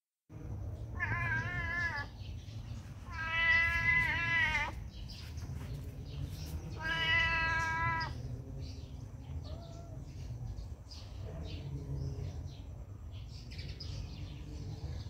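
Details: Handsome cat at a pagoda giving three drawn-out, harmonic-rich meows: a short one near the start, a longer wavering one, then a third, separated by pauses over steady low background rumble.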